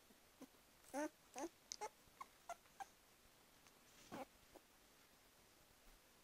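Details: Border collie puppies, 19 days old, indoors; a few faint, thin squeaking whimpers, short rising-falling peeps scattered over several seconds, in a quiet room.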